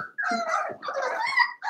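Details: A seven-week-old blenheim Cavalier King Charles Spaniel puppy, one of a litter of five in an indoor pen, gives loud, drawn-out whining howls: two long wavering cries of nearly a second each, then a third beginning.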